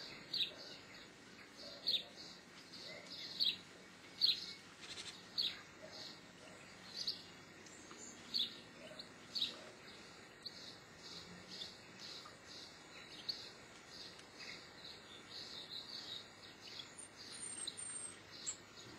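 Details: Geoffroy's marmoset, known in Brazil as sagüi or sauim. Loud, piercing chirps come in irregular bursts, then a long string of softer repeated high notes, and a faint higher twitter near the end.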